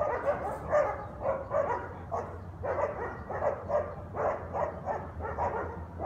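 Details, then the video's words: Guard dogs in New Orleans on Conti St. bark at 7am on a Sunday, waking residents; muffled, somewhat distant barks in irregular clusters, accompanied by a steady low hum. "Guard Dogs Barking Noise Violation"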